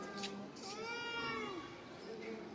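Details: Domestic cat, described as a stubborn, dramatic male, gives a single drawn-out meow that rises slightly, then slides downward over about a second, with faint murmuring before and after in a quiet indoor space.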